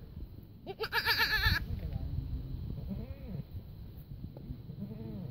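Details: Baby goat kids calling: one loud, tremulous bleat of nearly a second with a strong quavering pitch, followed by softer, fainter bleats over low background rumble.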